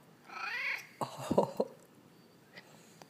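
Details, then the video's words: A brief rising-falling meow from Peyton, a talkative male house cat chatting with his owner after sleeping all day. It is followed by a cluster of irregular knocks and short bursts of sound, then quieter scattered noises. "Peyton the Talking Cat"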